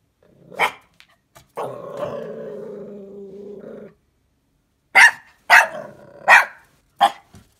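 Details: A new puppy, unsure of Anja the pet fox, lets out a few sharp barks, then a long low rumbling growl, and after a pause a burst of four or five loud, high yapping barks.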